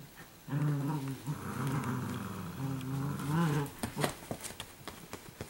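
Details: Female Italian Greyhounds at play together, one giving a continuous low, throaty growl lasting about three seconds that wavers slightly in pitch, followed by scattered clicks and light knocking sounds.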